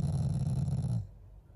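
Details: A Shiba Inu, a family pet, growls affectionately at its owners rather than in anger; a single low, rumbling growl lasts about one second, then stops abruptly, leaving quiet room tone.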